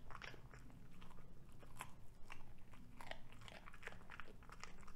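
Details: Ludwig, a Cavalier King Charles Spaniel, crunching broccoli stalk in a small room; sharp snapping bites repeat several times a second, wet and crisp, with steady low room hum.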